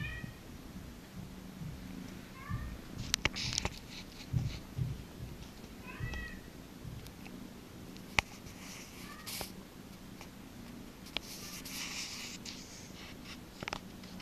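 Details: Domestic cat at the cattery no Demetra purring while being massaged: a steady low rumble runs throughout, broken by a few short rising meows and bursts of rubbing and rustling noise from handling.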